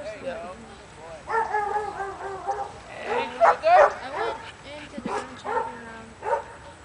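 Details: Almost three-year-old male Border Collie and McNab cross at a herding training clinic, highly excited after an hour shut in a trailer while waiting his turn. Rapid high whining yelps and sharp barks come in bursts, with people talking over them.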